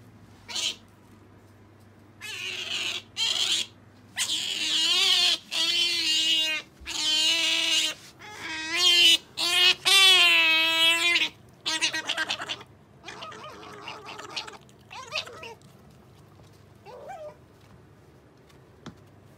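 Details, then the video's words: Sakura the pet otter, female, begging for jerky: rapid series of loud, wavering harmonic squeals, some rising and falling, fading into quieter scattered chirps and squeaks over a low hum. "カワウソさくら ジャーキーに対しての愛が止まらない！ A collection of the nonstop love of Sakura the otter for jerky!"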